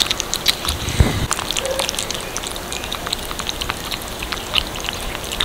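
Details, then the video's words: Several little kittens crunching cat food, sharp scattered chewing clicks with one louder knock early on, against a faint background hiss. "Kittens eating cat food"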